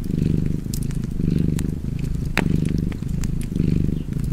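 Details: A cat purring by a fireplace: a steady low rumbling purr that swells and eases in cycles of roughly one second, with sharp crackles and pops from the fire scattered through it.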